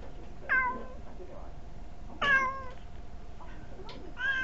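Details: Domestic cat Kuri-tan begging for a treat from a chair, recorded indoors on a very small camera; clear, bright meows with stacked harmonics at about 0.5 and 2.3 seconds, then shorter, softer mews, quiet room background.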